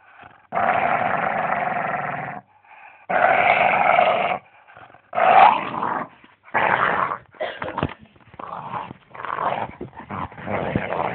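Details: On Boxing Day 2010, Charlie, a dog unwilling to share toys, gives two sustained harsh growls, then a rapid run of shorter, choppy growling bursts that grow more broken toward the end.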